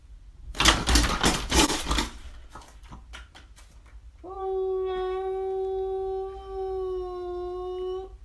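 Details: During a daytime cat fight, Trevor, a house cat guarding his home, lets out rapid noisy bursts of spitting or scuffling, followed by one long, level, moaning yowl held for about four seconds.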